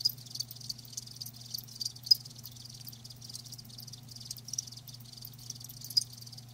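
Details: Crickets, recorded live, give a dense high pulsing chirr with scattered sharp clicks; a constant low hum runs underneath.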